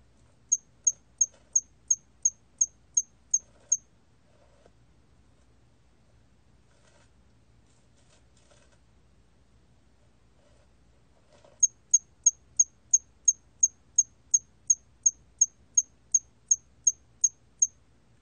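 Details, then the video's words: Hairy cricket, recorded in 2020 for the National Institute of Biological Resources, chirping in two long even trains of high, brief pulses, about three a second, separated by roughly eight seconds of quiet. "털귀뚜라미, 여러번 듣기, 곤충소리"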